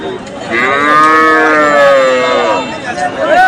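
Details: Cattle at the Hasukhali cattle market on a Friday, a few months before Kurbani Eid. One long, drawn-out lowing moo lasts about two seconds. It holds steady and rich in tone, then sags and fades, with faint market noise behind it.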